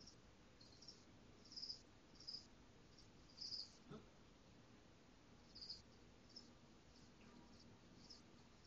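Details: High, brief chirps from caged crickets come in scattered bursts, a few louder than the rest, set against a soft steady background hiss.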